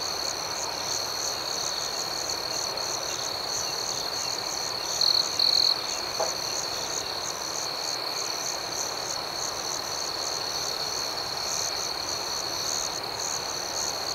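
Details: Nocturnal cricket chorus outdoors: an unbroken high trill with irregular pulsing chirps layered on top, and two short louder trill bursts near the middle of the stretch.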